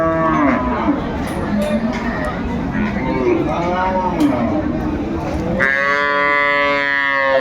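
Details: Cattle at Aftabganj livestock market in Dinajpur on 25 May 2024, where milk cows with calves are sold: a loud, long harmonic moo rises out of dense crowd chatter near the end, following several faint lowing calls under human voices.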